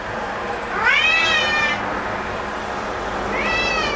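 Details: Excited black domestic cat Momo, worked up over an insect at home, lets out two rising meows, the first longer and sliding upward, with a faint steady hiss behind.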